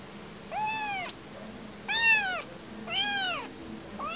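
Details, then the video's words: Kitten separated from its mother gives three insistent high-pitched mews, each arching up and down, about one second apart, with the start of a fourth at the end. "Anak kucing kehilangan ibu."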